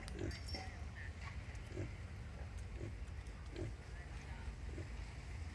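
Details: Mother wild boar suckling a litter of piglets, giving soft low grunts spaced roughly every half second to second over a low rumbling background, with a few faint higher squeaks.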